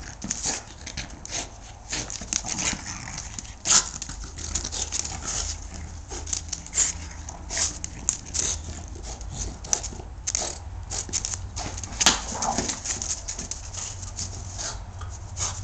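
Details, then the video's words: A French Bulldog attacking a tennis shoe in a courtyard: rough scuffling and snuffling bursts with brief low growly tones in the middle, over a steady low background hum. "When French Bulldogs Attack Tennis Shoes"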